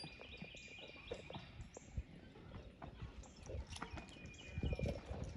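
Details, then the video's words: Percheron in harness during driving, clopping hoof strikes mixed with low rumble, creaking and a few faint high squeaks. "Percheron driving"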